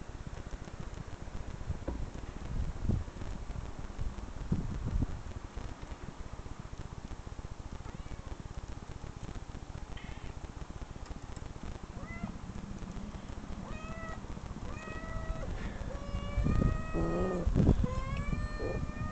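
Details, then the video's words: Domestic cat meows played back from online videos arrive in the second half after a stretch of low rumbling noise, several short wavering mews in quick succession, with a few louder thumps near the end. "cat meow"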